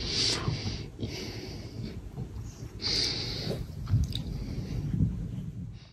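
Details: Baby caracal Eva, a pet kitten, drinking milk indoors: wheezy breathy snorts and nasal puffs in short bursts, a hissing breath around the third second, with lapping and chewing noises in a small room.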